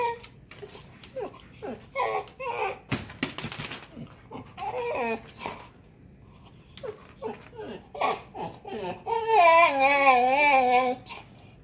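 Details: A year-old female Siberian Husky, resting in her crate after dinner, whines in short wavering bursts ending in a long, quavering, pitch-bending whine, a weird noise she only started making a few months ago.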